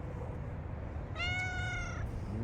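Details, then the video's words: One clear, level cat meow lasting just under a second, rich in overtones, set against a steady low-pitched room hum, with a faint rising sound just after. "Masinsinang CAT talks"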